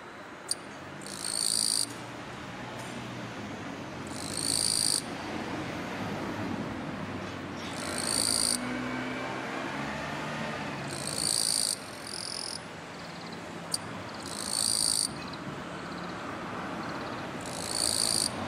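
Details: Male Eastern-Japanese katydid (Gampsocleis mikado) singing on a kwanso orange daylily bud amid Chinese silver grass to attract a female, scraping forewings together: raspy, high buzzing bursts about a second long, repeated every two to three seconds, with sharp clicks, over a low traffic-like rumble.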